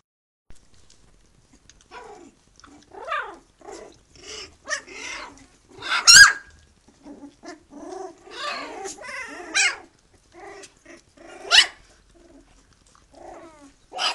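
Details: Three-week-old puppies of the Khyi-Mi B litter with their mother Bhoomi, calling loudly: a run of short harmonic yelps and squeals, some rising, one sharp loud squeal midway, with quieter whines between.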